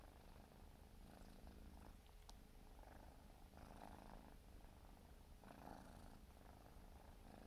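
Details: Grooming four-month-old Siberian forest cat kitten purring steadily; low rumble with intermittent soft licking rustles and a single sharp click.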